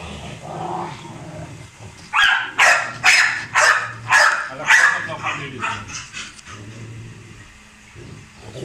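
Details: Hummer, a male Rottweiler, at feeding and exercise time: after a quiet start, a fast run of about eight sharp barks roughly every half second, tapering into softer yelps, with low background hum and a faint voice.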